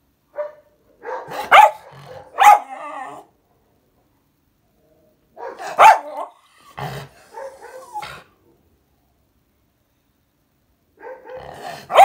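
A miniature schnauzer barks in short, sharp bursts, with a few growly yaps between quiet gaps.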